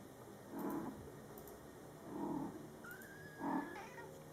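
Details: Mother cat Coco talks to her month-old Scottish Fold kittens in three low, rounded chirping murmurs about 1.5 seconds apart, while a kitten answers with a thin, high, drawn-out meow that rises and then wavers.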